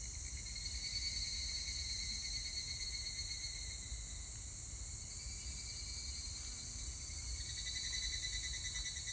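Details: Evening cicada (higurashi) song recorded 25 July 2019: a trilling, pulsed ringing tone that swells and fades in long phrases, layered over a steady high hiss of a dense insect chorus.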